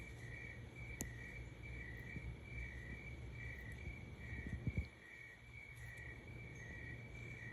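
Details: A cricket chirps steadily at 3 am in a pulsing, high trill that repeats without pause over a low background hum.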